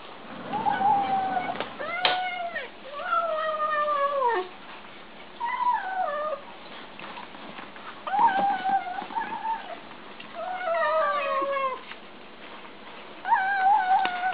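Kittens give high, wavering mews and drawn-out whines that bend up and down, often overlapping.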